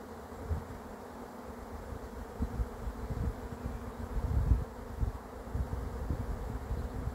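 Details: Swarm of honey bees arriving, a steady low droning hum with heavy low rumbling thumps and handling bumps throughout.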